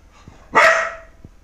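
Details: Single loud, harsh dog bark, abrupt onset and tailing off over about half a second, in otherwise quiet surroundings.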